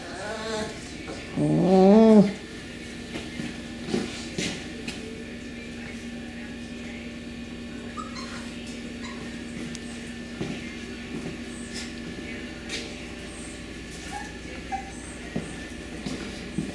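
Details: Beagle puppies from the Camo and Buddy litter, recorded 18 April 2020 indoors around female 5964: one loud, wavering whine with a rising and falling pitch near the start, then quiet room tone with soft clicks and scattered faint noises.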